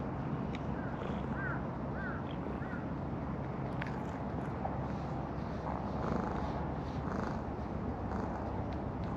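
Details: A wild calico cat with a heart-shaped marking at a fishing port, fond of being patted on the lower back; a steady low purring rumble runs throughout, with a few faint higher mews early on.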